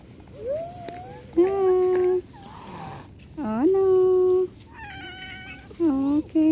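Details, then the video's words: Cat meowing insistently, linked to the difficulty of separation. Several long, steady meows, some starting with a quick upward swoop, alternate with brief quieter squeaks and soft background rustling. "funny and cute cat and separation is hard || cat lovers viral cat | meowing"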